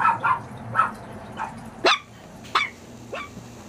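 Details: Maltese puppies at play letting out short, high yips and sharp little barks, about six in under four seconds at uneven intervals, some thin and squeaky, against a quiet indoor background.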